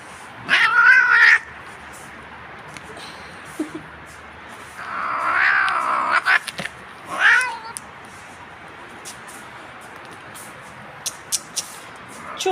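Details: Domestic cat being combed to reduce shedding, giving loud drawn-out complaining meows and caterwauls at about 0.5, 5 and 7 seconds, with clapping and a woman speaking Turkish between calls.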